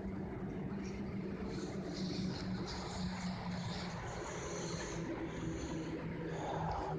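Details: Western honey bee guard bees defending their hive, harshly driving off an unapproved bee, with a steady motor-like defensive buzz; western honey bee.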